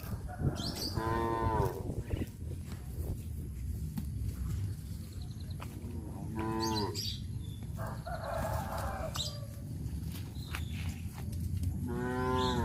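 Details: Village cows herded to a grazing field, mooing several times: short harmonic lows near the start, middle and end, separated by stretches of rustling, shuffling ground noise.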